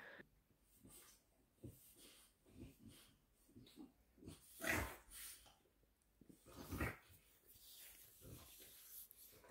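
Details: Whelping French Bulldog named Bluebell delivering a large litter of ten pups, several breech and needing assistance: irregular wheezy, snorting breaths and soft grunts, with faint speech in the background.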